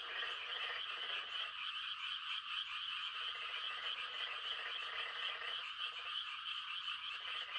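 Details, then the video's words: Frogs on a calm country night in rice-planting season, a dense chorus of high pulsing mating trills. Deeper croaking runs break in several times, each lasting one to two seconds. "The sound of frogs on a quiet country night"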